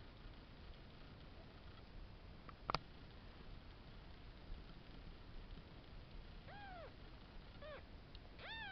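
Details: Five-day-old kittens from a cattery, a few thin high mews near the end, arched and falling, three cries in close succession over steady low background hiss.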